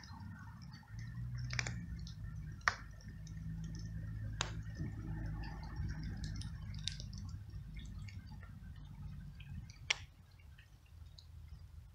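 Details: Rain and dripping water with occasional sharp taps and low rumbling background noise; no animal voice stands out.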